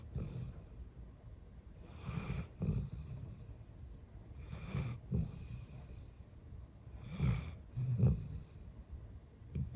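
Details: A female golden retriever, eleven years old, snores while sleeping: deep, throaty rumbles paired with breathy hisses, repeating about every two and a half seconds, a few louder snorts near the end, and no background music.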